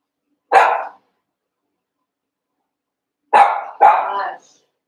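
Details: Cavalier King Charles Spaniel puppies, one month old, eight together in an indoor pen, wrestling and playing: one sharp high bark, a pause of nearly three seconds, then two quick barks in close succession, with silence between.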